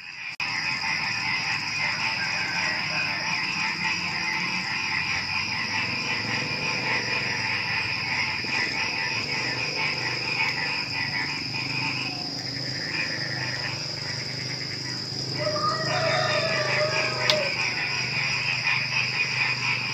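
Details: Night chorus of frogs before dawn with crickets. Overlapping croaks form a continuous rhythmic wall of sound under a constant high insect trill. Brief stronger tonal calls stand out near the end.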